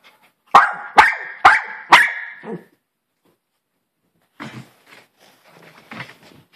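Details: Four loud, evenly spaced barks from a Maltese Poodle, followed by a pause and then faint, scattered rustling and low noises.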